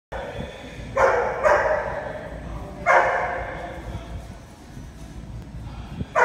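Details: Rhodesian Ridgeback dog barking while playing enrichment puzzle games: four sharp, loud barks, a close pair near the start and another near the end, over a steady low indoor hum.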